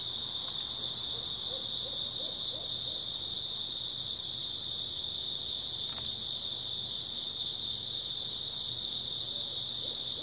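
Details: Grass insects on an early autumn night fill the air with a steady, shimmering high-pitched chorus that never lets up, with a few faint low notes from another animal scattered through it.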